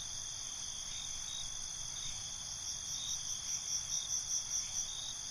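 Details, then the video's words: Binaural night scene of crickets, shrill high trilling throughout, with rhythmic chirp bursts building in the second half at a quick, steady pace over faint low rumble. "Night ambience, Cricket Conversations"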